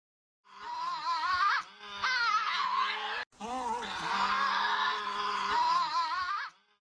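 A Tasmanian devil gives two long, harsh, wavering screeches, rough and nasal, with a growling undertone and a brief break between them.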